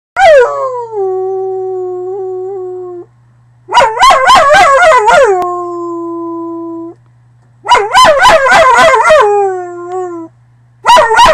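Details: A dog howls in long, steady, drawn-out tones lasting about three seconds each, broken up by bursts of sharp, quavering yelps between the held notes.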